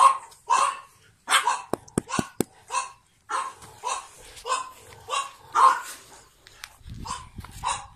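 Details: Pug puppies born 9 April 2017, one wearing a light-blue collar, give a series of short, mid-pitched yapping barks, irregularly spaced, with sharp clicking knocks near the start and a low rumble at the end.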